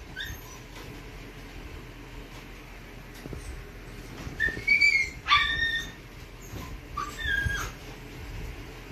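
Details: Red Toy Poodle puppy whimpering in short high bursts after quiet moments, several thin yelps and whines clustered near the middle and end over faint background hum.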